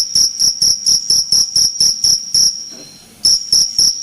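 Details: Cricket chirping loudly and steadily: a series of pulsed, shrill, high-pitched chirps about every quarter second, with a brief pause near the end before the chirps resume.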